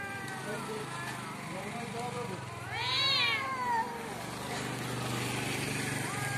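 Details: Cats fighting in front of a house: one loud arching yowl rises and falls at mid-clip over a steady low engine-like hum, with fainter moaning calls around it.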